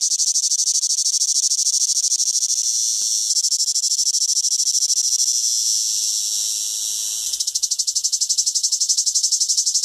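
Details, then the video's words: Summer cicada song, a dense, shrill, continuous buzz that shifts in tone partway through. It then breaks into rapid rhythmic pulsing near the end. There are no other clear sounds. "SONIDO DE UNA CHICHARRA - CIGARRA -"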